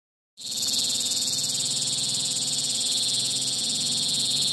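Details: A cicada gives a loud, continuous high buzzing drone with a fast pulsing rhythm in the late afternoon.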